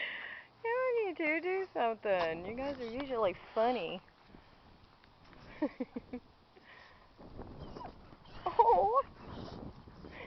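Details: Asked to say hello, a dog gives long, wavering, yodel-like howled tones for about three seconds. Quieter murmuring voices follow, then a short wobbling whine near the end.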